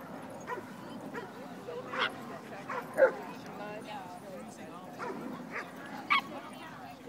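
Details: Shiba Inu, an eight-month-old female, playing with a much larger dog at a dog park; soft yips and whiny barks come in irregular bursts, several louder ones, over steady background chatter from people.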